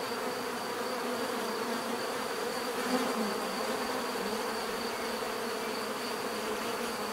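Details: Bees humming together in a continuous, even drone, low buzzing tones stacked beneath a faint high whine, with one short louder pulse near the middle.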